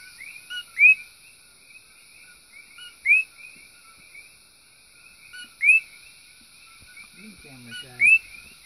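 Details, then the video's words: Invasive common coqui frogs chirp late at night on a back porch outside a bedroom in Puna, Big Island, Hawaii, each giving the two-note 'ko-KEE' call, a low note jumping to a higher whistle, every couple of seconds. "Big island Hawaii: Coqui Frogs - Hawaii's Cute Menance"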